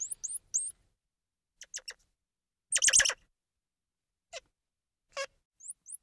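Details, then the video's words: Squirrel monkey twittering: thin upslurred high peeps, a few short chirps, then a loud chattering burst, followed by two descending squeaky calls and more rising peeps. "Squirrel Monkey Sound"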